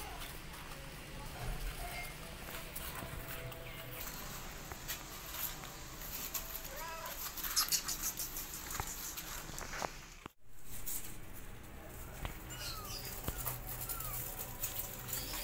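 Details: Kittens with their mother cat, being taught to walk and meowing loudly: several thin, high meows that rise and fall, scattered through the clip and bunched in the middle and near the end, over rustling and shuffling handling noise.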